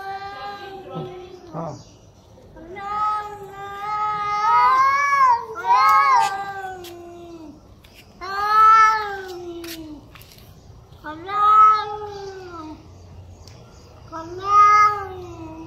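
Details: Angry cats growling at each other in anger: long, wavering, harmonic yowls that rise and fall, coming in loud bursts every few seconds with quieter gaps between.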